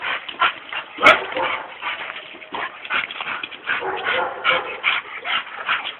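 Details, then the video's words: Excited dogs bark in rapid, repeated bursts, with a sharp clap or knock near the first second and human voices murmuring underneath. "crazy dogs!!"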